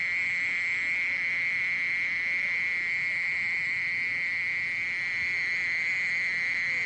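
A mole cricket sings a steady, unbroken trill, a low purring buzz held evenly throughout.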